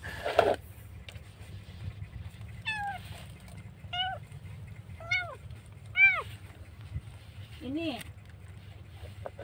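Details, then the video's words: Lone kitten left by the roadside, crying loudly during its rescue. Four short arched meows roughly every one to one and a half seconds, then a lower, hoarser one, over steady low background hum. "kucing menangis dibuang"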